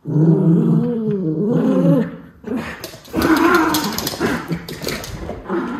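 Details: Two white Miniature Schnauzer brothers burning off energy in play, Aroostook County, Maine, October 2021: a long wavering growl for two seconds, then noisier scuffling with rougher grumbling growls.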